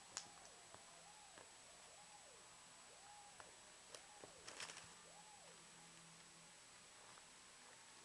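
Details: Pet cat playing with a pen: about seven soft, short arching mews in quick succession over a few seconds, with light clicks and rustling from the pen in a quiet room.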